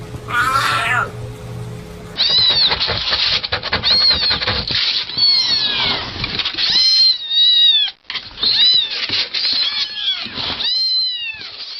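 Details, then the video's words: A domestic cat giving repeated short, arching meows in quick succession, crowded together and overlapping, with background music present. "Cat voice video"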